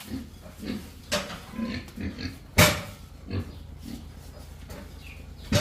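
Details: Piglets newly bought to restock a disinfected farm barn, four months after African cholera wiped out the herd. Low, short grunts repeat irregularly through the clip, mixed with sharp clattering knocks and bursts of shuffling noise in the pen.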